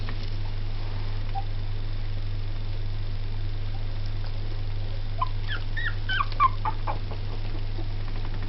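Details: Two-week-old Jack Russell x Yorkshire Terrier cross puppies give thin, high squeaky whimpers over a steady low electrical hum.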